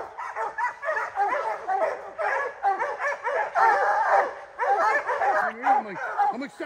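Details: Hunting dog Rocky during black bear training on the season's opening day, July 2024: rapid, overlapping barks in uneven bursts, almost without pause, with a brief human voice near the end.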